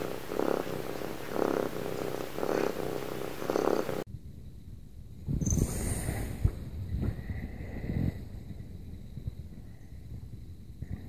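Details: Domestic cat cuddling, giving a steady rhythmic purr in regular pulses for about four seconds, followed by an abrupt change to a quieter scene with low rumbling and faint scattered tones.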